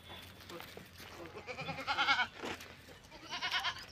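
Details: Sirohi goat, a Rajasthani breed also called Gujari goat, bleating: a wavering, nasal, harmonic bleat near two seconds, then a second shorter bleat near the end, over low background murmur and rustling.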